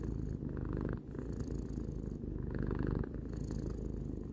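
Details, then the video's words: Short stretch of purring by Tarou, a three-year-old house cat: low buzzing rumble with a brief dip near the one-second mark and again around three seconds as the breath turns. "Cat purring"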